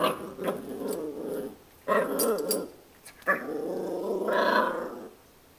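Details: Puppy giving three drawn-out, rumbling growls, each lasting one to two seconds with short pauses between, apparently indoors.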